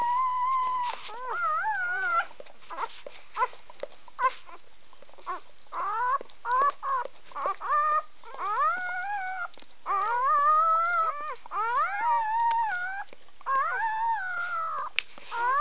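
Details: A litter of puppies only three hours old crying together in high, quavering whines and little howls, bending up and down in pitch, with overlapping voices and soft squeaks between cries.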